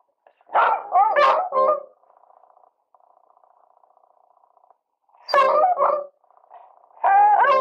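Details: Two Beagles howl together in loud, wavering, mid-pitched bursts that rise and break between quieter sustained tones.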